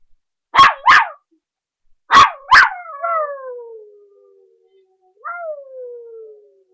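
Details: A playing puppy, 3½ months old, gives two pairs of sharp barks, then a drawn-out howl sliding slowly downward, with a second shorter falling howl near the end.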